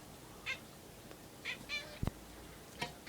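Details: Pet house cat indoors, following a mosquito up in a corner at the ceiling, gives short, high, thin chirping calls, three brief bursts in the first two seconds and another near the end, with a sharp knock between.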